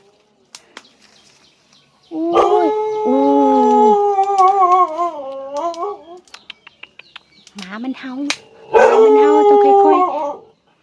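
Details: Neighbour's domestic dog barking at a woman up a papaya tree picking fruit: long, drawn-out wavering howls lasting several seconds with a short break, while the woman talks to it in Thai.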